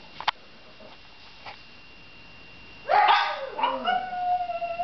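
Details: Dog howling, recorded 21 December 2009: near-silence with a few soft clicks for three seconds, then a loud, rising, wavering tonal howl with rich overtones that holds and slowly falls to the end.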